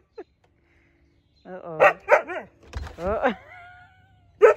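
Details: Juno the Siberian Husky vocalizes at a leaf blower with a run of bent, sliding yips and a drawn-out descending woo, a brief low rumble mixed in, ending on a sharp final yelp; a person urges it on.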